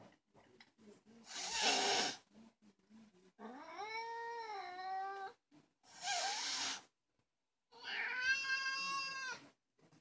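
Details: Vocal fuzzy black domestic cat indoors alternating loud broadband hisses with long, rising then level, richly harmonic caterwauling yowls, several seconds each, separated by brief silences.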